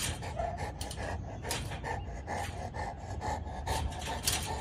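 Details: Big female Boerboel panting steadily, quick rhythmic breathy bursts about twice per second, each a broad hiss with a faint voiced tone underneath, fairly even throughout against a low background rumble.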